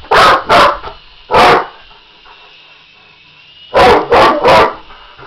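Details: English Mastiff barking at an RC helicopter: deep, loud barks in two bursts, two quick barks and one more, then three in a row after a pause, with a steady high whine from the helicopter throughout.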